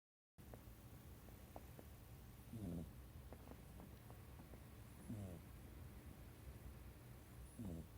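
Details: Domestic cat asleep pressed close against a person's feet, snoring as it usually does; soft, low, breathy snores recur roughly every two and a half seconds over a faint steady room hum.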